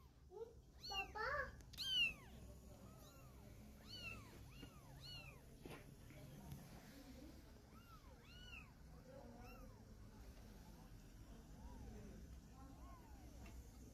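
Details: Mother cat carrying a kitten in her mouth to move it. Loud bursts of noise open the recording, then a long run of small, high, arched meows repeats steadily, about one and a half per second, gradually softening.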